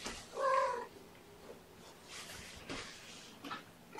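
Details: At breakfast, one of Gamora's five young kittens, born April 14th, gives a single clear, tonal meow, brief and steady in pitch, followed by soft rustles and faint breathy noises.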